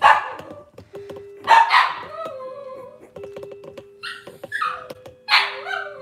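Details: A litter of Cavalier King Charles Spaniel puppies, Robin's pups, on a Wednesday-morning kitchen camera. Irregular harsh yips and squeaky barks come in bursts, mixed with high whimpers, light clicking and a steady faint hum.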